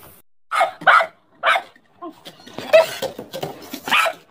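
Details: Angry dog barking in short, choppy bursts: a quick pair of barks, another single bark, then a messy flurry of softer barks and yips close together.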